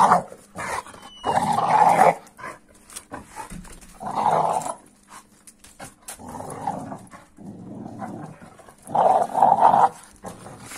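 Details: An American Staffordshire Terrier grumbles at a 15-week-old Kuvasz puppy. Five rough, drawn-out growling swells are interspersed with soft clicks and quieter stretches. A low hum runs throughout.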